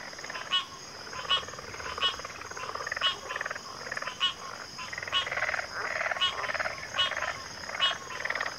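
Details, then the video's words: Chorusing frogs in backwater habitat: grating, rapidly pulsed croaks overlap with crisp clicks repeated nearly every second, forming a dense rhythmic chorus over an unbroken shrill drone. "FROGS - Pig Frogs, Water Frogs, Backwater Chorus, & Frog Chorus"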